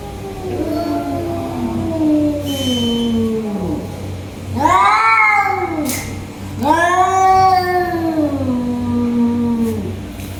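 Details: Tiger cats fighting: a long, sagging growl-yowl is followed by two sharp, rising and falling screams with strong harmonics, over a steady low hum.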